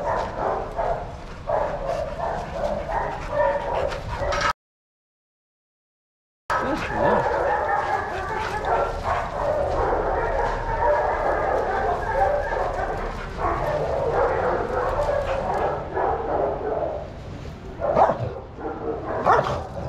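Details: Shelter dogs playing in a yard in Arizona under the eye of trained handlers. Dense, overlapping barks and yips run throughout, broken by a short silent gap early on, with faint voices mixed in.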